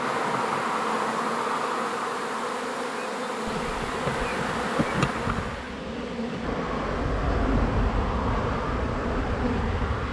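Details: Swarm of honey bees getting a new hive home, a thick continuous buzz of many insects, joined midway by a deep rumbling handling or wind noise beneath the droning hum, plus a brief sharp knock.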